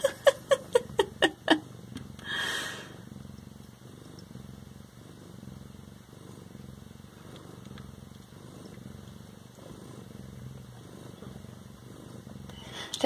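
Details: Siamese cats indoors, a rapid series of sharp clicks at the start, then a soft rhythmic purr throbbing steadily under a faint high hum.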